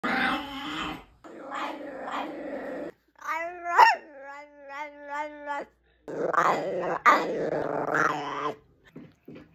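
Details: Pet bichon frise making a compilation of strange indoor noises: harmonic whining yelps rising and falling, a wavering warbled whine around four seconds, and low grumbling growls between short pauses, in a small room.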